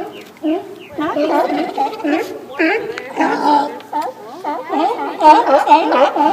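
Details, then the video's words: Sea lions at Fanny Bay, Comox Valley, Vancouver Island, on Victoria Day weekend, calling while waiting to be fed: a dense chorus of overlapping wavering, bending groans and yelps from several animals, continuous and loud. "Sea Lions Singing for Their Supper"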